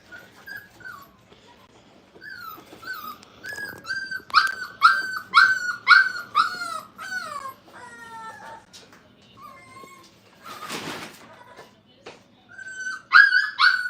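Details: Five-week-old Brittany puppies in a crate, whimpering with high, drawn-out cries that fall in pitch. The cries come in bursts and grow into a quick run of yelps midway. A brief rustling clatter is also heard.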